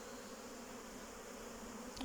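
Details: Hive honey bees recorded on 8 May 2023: an even, unbroken hum of many wings, steady throughout, with a faint tap at the very end.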